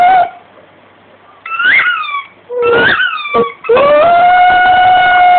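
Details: Domestic dog singing with its squeaky rugby ball: a few high toy squeaks with short gaps, then a steady rising howl held to the end, indoors.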